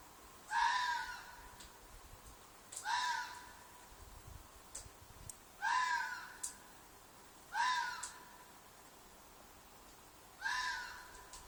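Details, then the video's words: Red fox calling at night from a field near an apartment, giving five loud, raspy shrieks at uneven intervals of two to three seconds, each a short harsh cry falling at the end. "Fox Noise - Fox shriek/call/cry/mating call"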